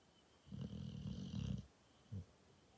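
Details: Sleeping Cane Corso snores with a long, low rasping rumble lasting about a second, followed by a short quieter snort, with little else audible.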